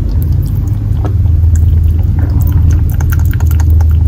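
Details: Thirsty male Netherland Dwarf rabbit named Fuku, kept in an old country house in Japan, gulps water vigorously: dense rapid ticking and sloshing swallows over a constant deep hum.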